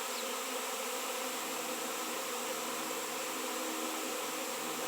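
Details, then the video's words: Honey bee swarm gathering in a massive reaction around a raw 7 lb piece of shungite, where honey bees had not been seen for years; a dense, steady, humming drone of many wings with no break. "Shungite honey bees swarm"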